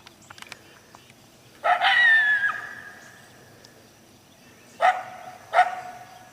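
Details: Coyote (Canis latrans), bark and howl.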